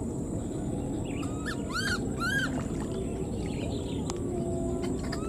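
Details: Wild newborn baby monkey left behind, calling for its mother: two arched, plaintive wailing cries close together, each rising then falling, over a steady rustling outdoor background.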